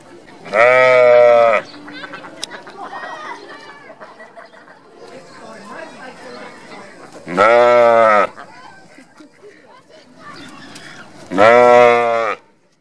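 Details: A very loud, low-pitched sheep at Mother Farm, Japan, bleats three times, each a steady, rich, bass-toned call of about one second. The calls are spaced roughly six and four seconds apart, with murmuring voices and background clatter between them.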